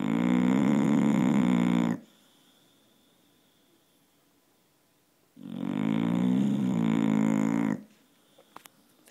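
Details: A sleeping dog's chainsaw-like snores, deep and rattling, come as two long buzzing inhalations about two seconds each, separated by roughly three and a half seconds of quiet, with a faint click at the end.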